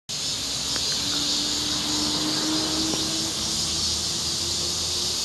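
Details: Cicadas in the blazing Korean summer, a steady high buzzing drone spread across the upper range with no break, a faint lower tone drifting through the middle.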